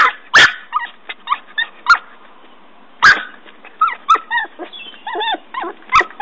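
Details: Norfolk Terrier puppy digging a hole by a tree: sharp short barks at the start and again midway, between them thin wavering whines and yips.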